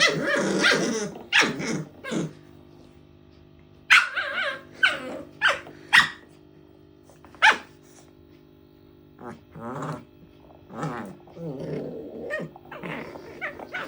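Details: Dog making many kinds of sounds at play time: rough growls and sharp barks in bursts, with short quiet gaps between, over a low steady hum.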